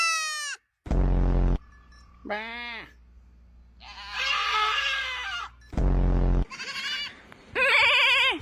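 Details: Goat bleating repeatedly: a falling cry, a short quavering bleat, then a harsh rough outburst and a final wavering nasal bleat, with loud buzzing blasts between the calls.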